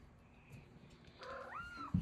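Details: Blind house cat on top of the stairs calling to her owner: a single rising then level chirped mrrp near the end, preceded by quiet room noise and followed by a thump.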